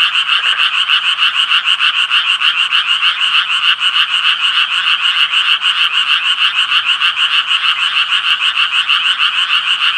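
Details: Ten seconds of unbroken Japanese tree frog croaking: coarse, nasal pulses repeated about three per second at a steady loudness throughout, with no gaps and no other clear sounds.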